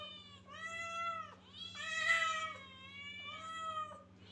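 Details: Kittens crying in close succession, sustained high meows with a harsher, louder mew in the middle, calls nearly continuous across four seconds, steady low hum beneath.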